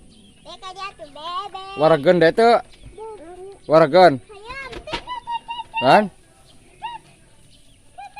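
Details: Sheep fed together with a child, bleating loudly in three strong, wobbling bursts about two seconds apart, with softer shorter bleats and small peeping sounds between them.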